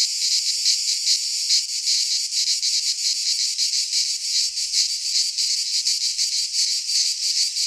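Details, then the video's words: In a Greek pine forest at midsummer, cicadas keep up an unbroken shrill buzz, pulsing roughly two to three times per second, with faint low thumps late on. "Cicadas singing in midsummer"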